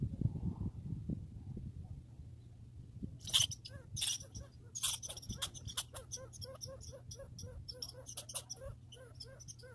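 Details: Squirrel, grey or red, in a backyard: after a few seconds of low rumbling background, a fast run of sharp, dry clicking chips repeated several times a second, continuing in uneven bursts to the end.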